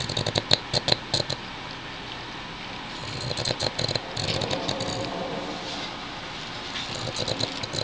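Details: A lazy male Boston Terrier sleeping on his back snores in rattling, crackly bursts that come with each breath every few seconds.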